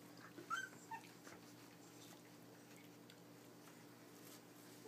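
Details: Puppies aged 23 days at their first bowl of dry food, indoors; a couple of brief high yelping whimpers near the start, then a quiet room with faint crunching and hum.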